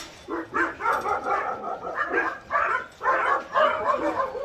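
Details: Overlapping barks from a crowd of abandoned medium and large dogs at Hans Care School in Gyeongju, South Korea, a shelter of about 200 trained dogs; steady loud barking pulses roughly twice per second.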